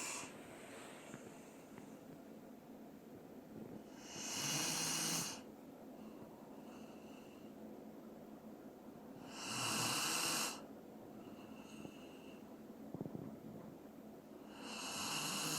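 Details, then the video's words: Asleep indoors, the Dobermann Doran snores steadily: breathy, hissing snores roughly every five seconds, some with a low grumble, quiet between, and a soft human voice at the end. "도베르만 코골이"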